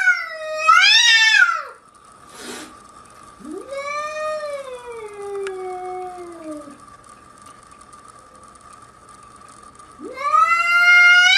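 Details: Angry domestic cats fighting: long wailing caterwauls that rise then slowly fall, one drawn-out howl lasting about three seconds, a brief hiss between, and a steady hum in the background.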